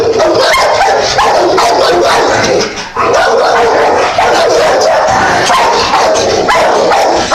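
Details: Dense, nearly continuous chorus of dogs barking, yipping and whimpering over one another, with a brief lull just before the three-second mark before the clamor resumes.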